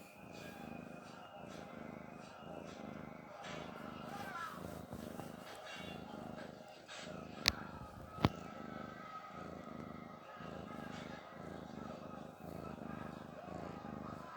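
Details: Domestic cat snoring while relaxed; low, soft rhythmic breathing rumbles repeating roughly every second, with two sharp clicks midway and faint background hiss.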